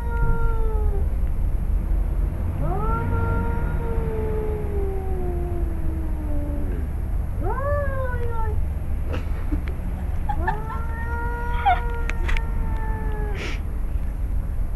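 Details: Two male cats, father and son, threaten each other in a yard in Arequipa, Peru; a run of long, sliding yowls overlaps and alternates, some short and falling, some held for several seconds, with faint clicks and low rumble.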